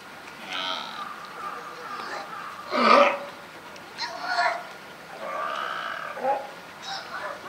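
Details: California sea lions, a mother and her newborn pup at Higashiyama Zoo, give hoarse, bleating calls, with one loud burst over a background murmur, on 28 June 2023.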